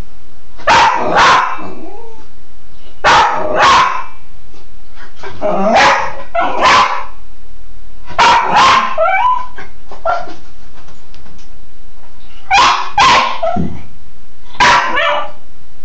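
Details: Cairn terrier named Bug playing in the shower, barking in short paired bursts every two to three seconds, sharp and loud with a slight echo.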